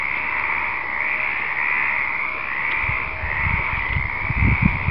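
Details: Stripeless treefrogs (Hyla meridionalis) with many calling in the Western Algarve, Portugal, in February 2011, alongside two female Western Spadefoot Toads. A dense, unbroken chorus of overlapping croaks forms a steady drone, with low rumbling bumps near the end.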